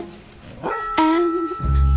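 A Bull Terrier gives a quick rising yelp, then a short, steady, moaning whine over background music.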